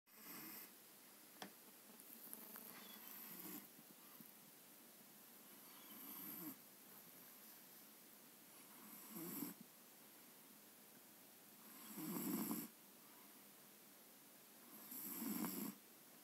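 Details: Seven-month-old Maine Coon cat asleep and snoring: soft, breathy, raspy snores every three seconds or so, growing louder toward the end, with a hushed indoor background.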